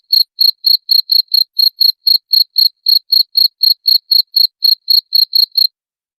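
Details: Sharp, shrill cricket chirps, a sound used to repel rats, ticking along at about four per second for nearly six seconds before stopping abruptly. Background silent.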